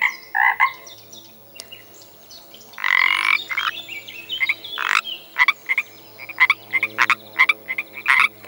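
A frog gives rasping, mid-pitched croaks, then a quick run of sharp clicking notes.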